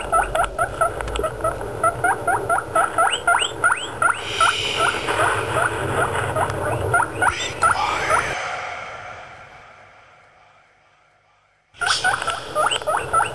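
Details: Pet guinea pigs, four kept together: a loud series of short rising squeaks repeated more than twice a second for about eight seconds. A near-silent gap follows, then the squeaking returns briefly.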